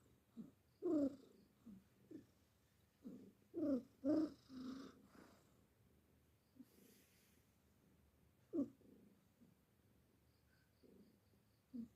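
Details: Sleeping pet cat snoring; soft, low, rasping breaths come in irregular clusters, loudest early on, then fade to scattered quieter snores in a still indoor setting.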